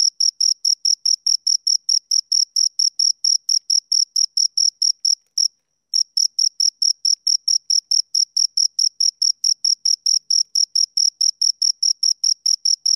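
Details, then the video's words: Two crickets chirp in a fast, regular train of high, piercing pulses, halting for about half a second near the five-second mark before resuming at the same pace; no other sounds present. "Two Crickets Chirp Sounds for Two Hours Right on Your Ears"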